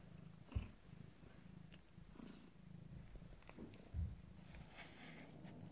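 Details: Resting Abyssinian kittens, fourteen days old, from a first litter, purr indoors with a deep continuous pulsing drone, two brief louder bumps of movement near the first and fourth seconds.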